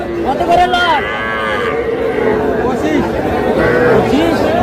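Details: Little heifer and bull calves at a Bangladeshi cattle market in Madaripur; a couple of quick rising-then-falling moos overlapping, set against dense chatter of buyers and sellers.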